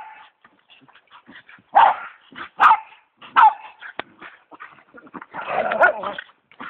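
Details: Westie and pit bull playing together after a Thanksgiving meal: short yips, sharp barks and throaty growls in irregular bursts, ending in a longer rough growling snarl.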